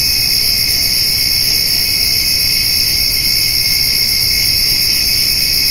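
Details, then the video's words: Crickets and grasshoppers on a summer evening as a white-tailed doe and fawn eat hay nearby: a dense, unbroken, high-pitched insect chorus of steady shimmering trills stacked at several pitches, with no pauses or other clear sounds. "Cricket and Grasshopper Sounds"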